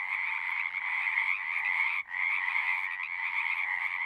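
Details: Singing frogs fill the air with a steady overlapping croaking chorus, broken by one brief dip in volume midway before the calls resume at full strength.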